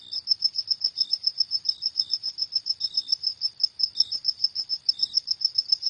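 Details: At night a cricket keeps up high, clear chirps in quick steady succession, around four each second, with a fainter neighbouring cricket chiming in at intervals; nothing else audible.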